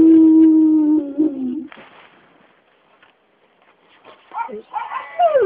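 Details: Mac 'n' Cheez, an 8-year-old red nose Pit Bull and Bullmastiff mix, singing along to Happy Birthday: a long steady howl with clear harmonics slides slightly downward, then quiet, then short rising and falling yelping howls resume.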